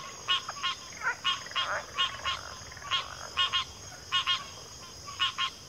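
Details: Frog chorus in backwater: short harmonic croaks with bands near one and three kilohertz-range, often paired, repeated in bursts about every second, over a steady high insect drone and faint softer trilled calls.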